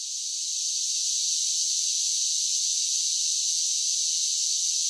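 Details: Cicadas singing in summer: a dense, steady high-pitched buzz with no breaks, swelling slightly in the first second and then holding level, with nothing else audible beneath it.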